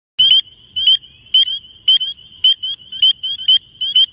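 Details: Frog whistling for mating: short, bright, high whistled notes at a steady pitch, repeated about eight times in four seconds at an even pace, with faint low rustles between them.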